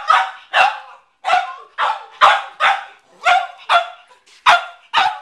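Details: Cavalier King Charles Spaniel McCartney, a household pet, repeatedly barks at a watermelon kept in the garage; quick, bright barks in uneven pairs and runs, some slightly whiny.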